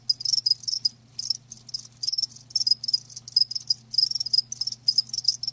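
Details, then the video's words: Live crickets chirping steadily, bursts of high trilling energy pulsing in quick succession with brief gaps, several insects overlapping; a faint low steady hum runs underneath. "Live Crickets 60min "Natural Sound""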